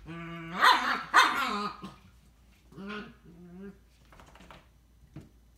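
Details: Scottish Terriers, a pair of pet siblings (younger sister, older brother). Two loud, harsh barks come close together near the start. Lower grumbling growls follow, then soft scuffling and a faint click.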